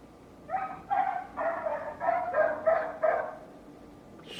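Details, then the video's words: Neighbour's dog barking in a quick run of six harmonic barks about half a second apart, each short and slightly rising, over a quiet background. "Neighbor's annoying dog noise"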